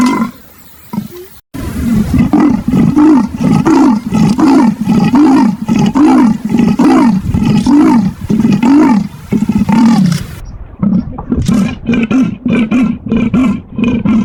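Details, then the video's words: Leopard calling with a long run of coarse, sawing grunts repeated at a steady pace, the sequence broken by abrupt cuts between segments. "the sound of leopards"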